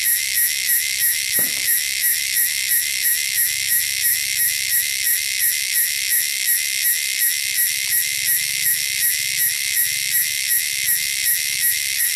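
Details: Native wilderness cicadas fill the air with a loud, shrill buzzing throbbing in quick regular pulses, roughly three per second, throughout; a faint knock near the start.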